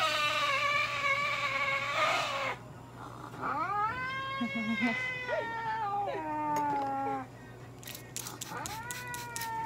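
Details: Long, wavering meows come from Kone-chan, a Norwegian Forest cat, during treatment at a Nagoya veterinary clinic. Light therapy, nail clipping, pad trimming and anal gland expression are performed. The moans are drawn out, several in a row, and quick clicks sound near the end.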